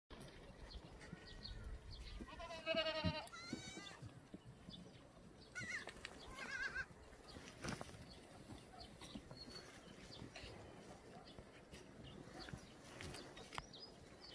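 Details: Korean black goats, free-ranging on a farm yard on the slopes of Muchuksan, Sangdong-myeon, Gimhae, South Gyeongsang, on a clear Wednesday morning, 13 May 2020: two wavering, quavering bleats early on, then quieter rustling and faint sounds.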